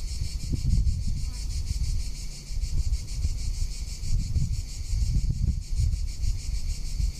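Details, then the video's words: A cicada's steady, high-pitched, rapidly pulsing buzz over heavy wind rumble, recorded in summer in Tuscany. "Cicada or Cigarra - Sounds of summer in Tuscany"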